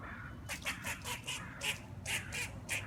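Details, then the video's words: A squirrel outside a patio gives a string of harsh, raspy, duck-like quacks, about eight in under three seconds at an uneven pace, sounding like a duck, over a low hum. "Squirrel making duck noises"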